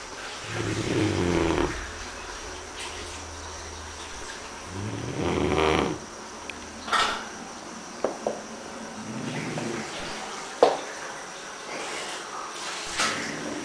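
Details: Elvis, a Great Dane, snoring. Long, low, rasping breaths roll in around one, five and nine seconds, with quiet stretches, small clicks and rustling between them.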